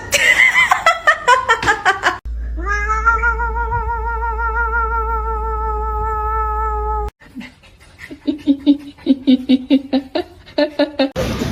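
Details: Cat giving a long, steady, drawn-out yowl lasting about five seconds, followed by a series of short, clipped meows. Laughter and chatter are heard before it.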